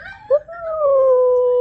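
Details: Oreo, a pet husky indoors, coaxed by its owner to say "Radhe Radhe", answers with a drawn-out steady howl that starts with a short yelp and holds one even tone for over a second.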